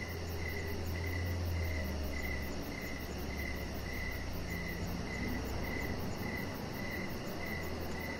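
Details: Outdoor evening cricket chorus by a deck with decoration lights, a bright repeated chirp recurring about every 0.6 seconds over low background rumble.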